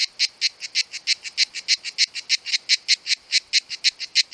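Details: Summer song of two cicadas: a regular series of sharp, rasping high-pitched pulses, about four per second, evenly spaced and loud throughout, over a quiet background.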